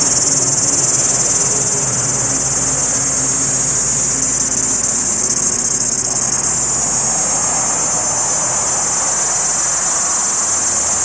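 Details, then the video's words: A male cicada, singing to attract females, gives a steady, shrill, high-pitched buzz that drones on without pause, its intensity and direction seeming to shift. "Cicada calls Comp"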